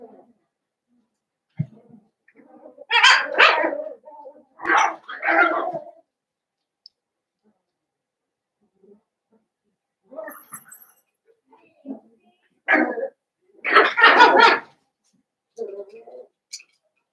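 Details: Blenheim Cavalier King Charles Spaniel puppies from a litter of five born at New Year's to Paris and Spike, in the Red Barn Cavaliers puppy pen. Short bursts of high yipping barks in two clusters, separated by quiet gaps.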